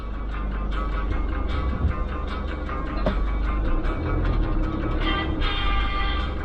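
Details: Guitar-led music plays over a steady low engine rumble, with no animal sound.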